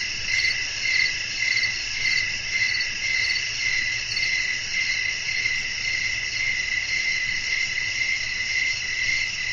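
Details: Relaxing night scene of crickets singing while wind blows; high-pitched chorus of rapid repeated chirps, close to two per second, over an unbroken shimmering drone with soft low background noise.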